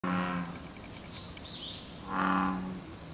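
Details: American bullfrog calling from a lotus pond below Izumi Bridge in Izumi Nature Park, Wakaba Ward, on 06/07; two deep, droning, moo-like harmonic calls, one at the start and one near the end, separated by a quiet gap with faint background hiss.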